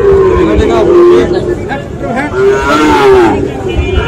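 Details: Sahiwal bull calves at a cattle market where farmers from various regions buy them, 5 October; short, steady, tonal moos at intervals, with crowd chatter and background voices throughout.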